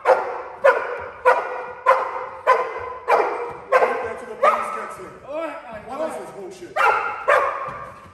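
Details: Cane Corso running a home invasion protection drill, holding a criminal by barking: loud, rough barks repeated steadily about every 0.6 seconds, with a person's voice briefly cutting in midway.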